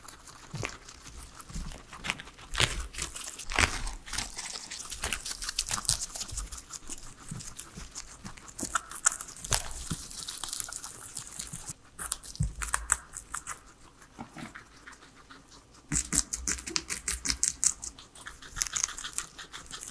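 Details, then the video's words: Three pet guinea pigs enjoying their veggie salad, chewing in rapid bursts of crisp, crackling crunches that pause around twelve and fifteen seconds, then resume busily. No people talking and no music, only a quiet room. "asmr guinea pigs eating veggies"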